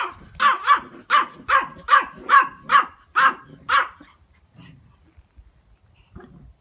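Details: Siberian husky puppy of 8 weeks, Alaska husky of 6 months and a 5-year-old Pomeranian playing and play-fighting together; a run of about nine sharp, evenly spaced barks over four seconds, then quieter sounds and one short final yip.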